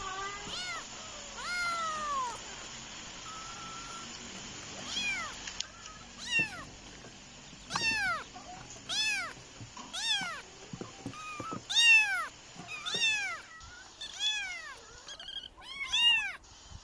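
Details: Two little kittens fighting: about a dozen high, arching meows and squeals come in irregular bursts, some short and sharp, some drawn out and bending, over a steady thin high-pitched electronic whine for most of the recording.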